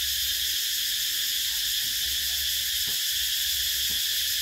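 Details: Cicadas calling in summer: a dense, unbroken, hissing buzz fills the high register at an even loudness throughout, with a few faint low thuds underneath and no other animals clearly heard.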